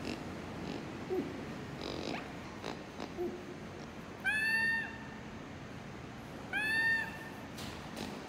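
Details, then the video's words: Lemur vocalization from a compilation of lemur calls used to alert group members, warn competitors or reach distant members: two loud, harmonic wails near 4.5 and 6.8 seconds, each falling slightly, over faint background rustle and clicks. "Lemur Sounds"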